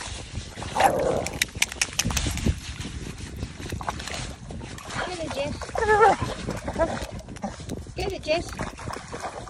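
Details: A blue Staffordshire Bull Terrier digging a hole gives wavering, grumbling whines of displeasure as water runs into the hole, over splashing water and a person's voice.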